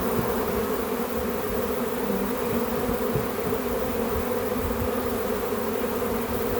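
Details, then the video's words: Swarm of honey bees spotted in a back yard, being captured by a beekeeper: a dense, steady droning hum of many wings, unbroken and even throughout, with no other clear sounds. "Capturing A Bee Swarm"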